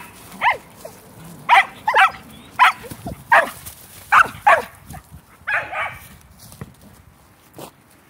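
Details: Sheltie barking during a ball game among shelties: irregular single and paired sharp barks spread over eight seconds, ending with a hoarser double bark and a last isolated yap.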